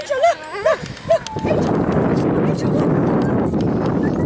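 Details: Siberian Husky at Huskycamp 2013 during a fun dog show: three short, bending whines in quick succession over the first second, followed by a steady murmur of crowd chatter and outdoor noise.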